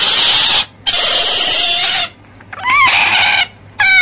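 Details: Otter giving harsh, noisy screeching squeals in long bursts separated by short silences, ending with a brief rising and falling harmonic squeak.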